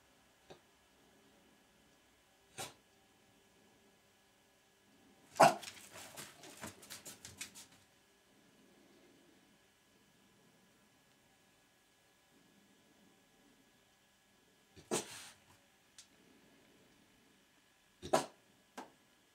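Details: Watching a deer steal birdfood on the other side of the glass, Gilbert the French Bulldog lets out scattered sharp barks, with a short burst of rapid rustling and scratching around the sixth second and long quiet gaps between.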